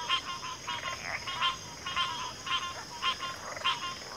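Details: Frog chorus of short, repeated pulsed croaks about every half second, each burst raspy and mid-pitched, over a steady high insect-like drone.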